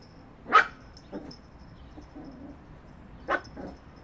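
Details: Yorkshire Terrier puppy giving two short, sharp, high yapping barks about three seconds apart, with a softer brief yip between them and a quiet background.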